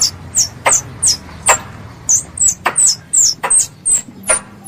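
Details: Squirrel calling its mother: sharp, high, downward-sliding squeaks repeated about twice a second at an uneven pace, some paired with dry clicks, over a faint low hum.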